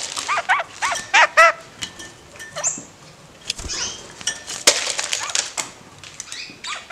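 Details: A caged pair of kakariki, moving about playfully in a roomier cage, give a quick run of arched, repeated chattering notes at the start, then scattered sharp calls among clattering and knocking sounds.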